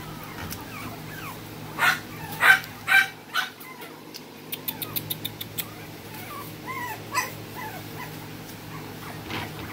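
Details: Whining smooth coat Brussels Griffon puppy in Texas: a few louder yelps early, then a quick run of faint clicks, followed by softer drawn-out whimpers against a low steady hum.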